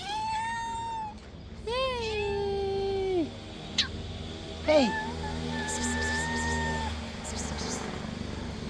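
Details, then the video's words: Hungry stray cats, three of them, meowing loudly while being fed: several drawn-out harmonic meows, some rising then falling, overlapping voices, with a low steady hum and a brief clatter in the background. "The 3 hungry cats who won't stop meowing loudly"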